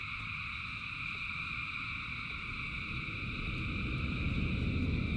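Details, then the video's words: Frogs in their thousands calling through rain, a constant layered high-pitched chorus while low rushing rain noise swells louder toward the end. "Frogs in Rain 2 Hours of Frogs, Thousands of Frogs Singing"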